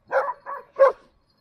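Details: Standard poodle, one of a family's dogs in Sun Valley, Idaho, giving three short, rough barks within about a second, with the final bark sharpest and loudest; clean, quiet background.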